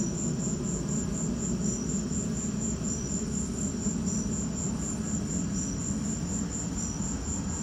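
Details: During a lightning storm, crickets keep up an even, high-pitched pulsing chirp several times per second, with sporadic lower chirps from another cricket and a steady low roar underneath.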